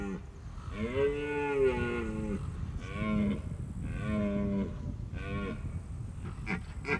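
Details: Red deer rutting at the end of September in Austria's Hohe Tauern National Park, as the mating season begins before winter; four moaning, harmonic bellows of one to two seconds each, over steady low rumbling background noise.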